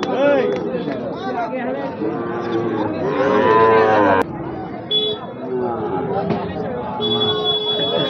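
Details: Bull calves of Gir and Sahiwal breeds at Ambari market, Bangladesh, giving short, wavering moos through a busy market, with a louder rising bawl near three seconds and constant voices of people around.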